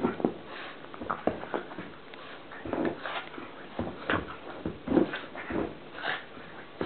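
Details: Playing pug Columbo giving his strange noise indoors: scattered short grunts, snuffles and whimpering squeaks, uneven in loudness, separated by brief pauses and soft rustling.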